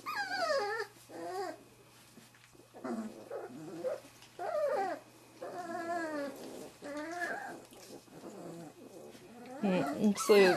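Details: Wirehaired Pointing Griffon pups from the 2013 "E" litter at Bluestem Kennels, aged three and a half weeks, exposed to bird scent for the first time. They utter rapid, trembling whimpers and rising-falling squeaks in short bouts, ending in a loud squeal.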